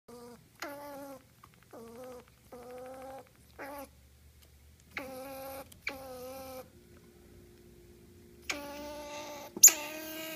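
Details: Grumpy squirrel indoors giving a run of drawn-out, nasal, harmonic whining calls in bursts of about half a second to a second, some wavering, about nine in ten seconds, with a brief click near the end.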